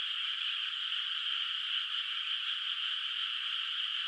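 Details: Distant frogs chorusing in a moonlit, still-unplanted rice field at night; many overlapping voices merge into an even, high, buzzing trill that holds steady throughout without pauses or other sounds.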